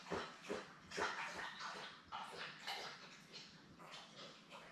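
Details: Newborn Labrador Retriever puppies, a litter of seven born May 24, 2021, with their mother Belle, on a live puppy cam. Rapid, repeated short squeaky whimpers and yips, several per second, sound over indoor rustling.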